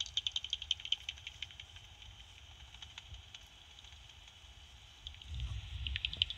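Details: Two bats, thought to be soprano pipistrelles, recorded at night on a bat detector that auto-detected their frequency but isn't very accurate, heard as rapid dry clicks and ticking bursts of echolocation.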